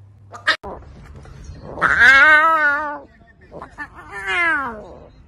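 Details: A lion cub, practising roaring, gives two drawn-out, meow-like calls that rise and then fall, each lasting about a second.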